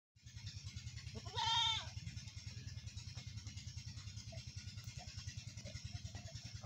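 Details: Goat in a village as a big billy goat first meets a small goat for breeding; one short harmonic bleat rises out of a steady, low, throbbing engine-like drone, which continues alone afterwards.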